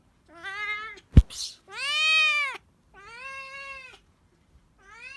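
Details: A tabby-and-white kitten loudly demanding food indoors: four drawn-out, rising-then-falling meows, the second longest and loudest, with a sharp click early on.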